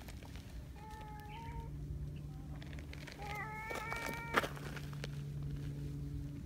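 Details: Big black community cat Donchan, boss of the local cats, showing affection to a petting hand outside; two level harmonic meows, one early and one later, with a steady low hum and some clattering.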